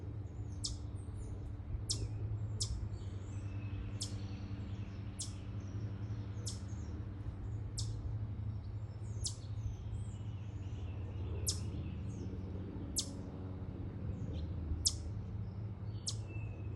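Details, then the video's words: Chipmunk calling with sharp, high, clicky chips repeated steadily about once a second for the whole stretch, over a low constant rumble and a few faint, thin chirps in the background. "This chipmunk making the sound"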